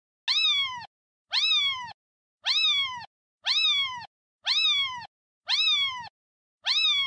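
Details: Kitten meows: seven identical high, bright mews, each rising then falling, evenly spaced about once a second with silent gaps between.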